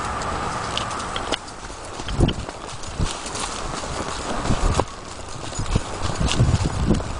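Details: Appaloosa mare galloping and cantering under a rider, recorded 2010-2011 around Sherman and Riverside Park trails; dull, uneven thudding hoof strikes at a fast gait over a steady rushing background of wind and movement noise.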